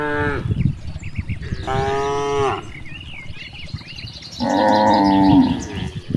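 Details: Cows grazing in a large rice field moo repeatedly, with short harmonic calls and one longer, lower-pitched bellow near the end, over rustling grass and faint bird chirps.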